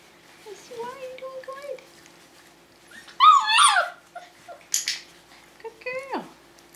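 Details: Tamaskan Dog puppies, five weeks old, at the Puppy Culture box game: a steady mid-pitched whine, then a sharp rising-and-falling yelp, short squeaks and a final whine sliding downward, over a faint hum.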